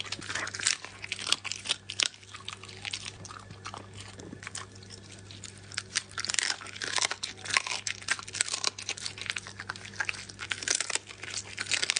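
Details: Wet crunching and biting of a raw meal by a Border Collie over a low electrical hum, with no barks or whines.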